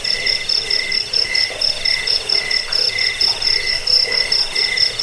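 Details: Crickets calling, sound used to chase off rats, help sleep and train birds; very high sharp chirps in quick regular pulses, with a lower chirping caller alternating and a steady insect background.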